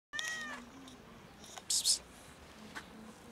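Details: A cat that followed a person and sat on a bench meows loudly: one clear harmonic meow near the start, then a sharp burst and a faint short meow later, with quiet outdoor background.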